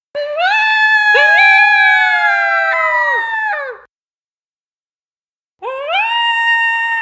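Two coyotes howl together in long, rising, wavering notes that overlap and break off.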